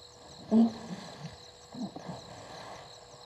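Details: Two hippopotamuses sparring in Gowrie dam, Djuma Game Reserve, Sabi Sand Wildtuin, South Africa, caught by a live waterhole camera at 19:22 on 11/16/21; a short loud tonal grunt bursts out, then a softer, lower grunting rumble follows over a steady frog and insect chorus.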